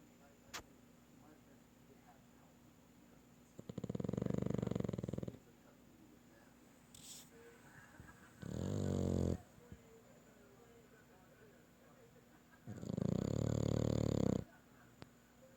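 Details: Young French Bulldog puppy snoring while asleep at night: three loud, rasping, low breaths, each about a second and a half long, spaced roughly four seconds apart, with quiet gaps between them.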